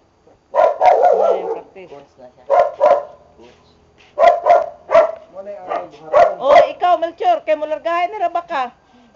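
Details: Boxer dogs during a training session, giving sharp, broadband barks in short clustered bursts, some doubled, with a person's voice talking and calling in between and over the later barks.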